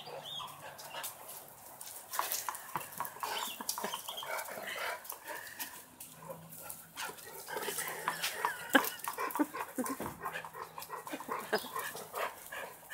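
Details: Great Dane during playtime, giving short, rough barks and scuffling noises in quick irregular bursts, with steady low hum in the background.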